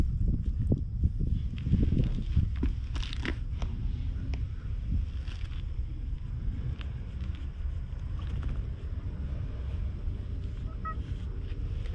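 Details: Low rumbling wind and engine noise by the sea, with faint bumps and no animal voice.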